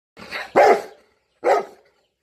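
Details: Golden Retriever, called a trainee, giving three short, loud, rough barks over about two seconds. The first two run together, and the third comes after a brief silence.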